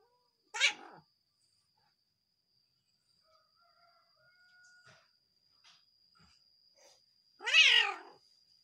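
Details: Cat vocalizing, described as angry at its partner: a brief harsh cry, a quiet gap with faint clicks and a steady high tone, then a longer wavering, strained meow-like wail near the end.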